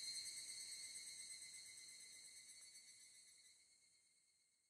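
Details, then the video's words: Japanese evening cicada, higurashi, at dusk in a cool summer mountain area; a high, rapidly pulsing ringing note that gradually fades away to near silence over a few seconds. "FIELD RECORDING HIGURASHI, EVENING CICADA IN JAPAN /フィールドレコーディング ヒグラシ 鳴き声"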